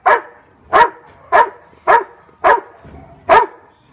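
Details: Labrador Retriever named Marley counting by barking at the number of fingers shown: six loud, clipped barks spaced roughly every 0.6 seconds, evenly repeated, with little else audible between them.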